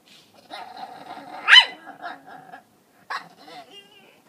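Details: Maruko the Pekingese, cast as the tomato thief back at the scene of the crime. Soft grumbling vocalising builds to a loud, sharp bark, then one shorter bark follows after a brief pause.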